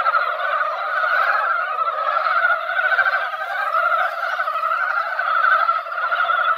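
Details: Dense chorus of mountain frogs massed at a mountain pond after light rain: countless overlapping rattling croaks merge into a steady, throbbing wall of sound with gentle rises and dips in loudness.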